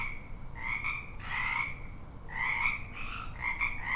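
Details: Several frogs croaking together, drawn-out pulsed croaks and shorter bursts alternating, voices overlapping with a soft background hiss.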